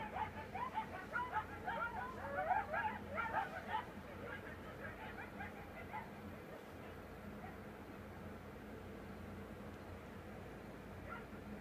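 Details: Coyotes howl at 3 am on the desert edge near Las Vegas, breaking into a brief chorus of wavering howls and high yips that fades after a few seconds.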